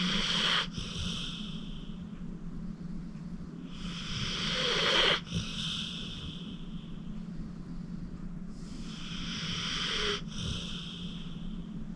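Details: Acorn, a 14-year-old male pit bull rescued from the Cuyahoga County Animal Shelter, a deep sleeper, snoring while asleep at home: long breathy hissing snores with a faint whistle, about every four to five seconds, over a steady low hum.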